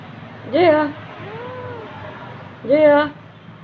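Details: A rescued cat, abandoned by its owner and suffering from scabies, gives two short, clear meows about two seconds apart, each rising then dipping. A softer, fainter voice is heard between them.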